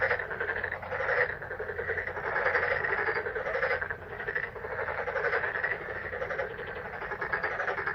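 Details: Many frogs calling in May, thick overlapping pulsed croaks forming an unbroken chorus that swells and eases, with a faint low hum underneath.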